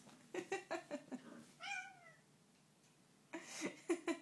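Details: ['Cat Sneak, set upon by fellow cat Ash, gives one clear, tonal meow sliding downward after a run of quick tapping scuffles, with further rustling and knocks afterward.']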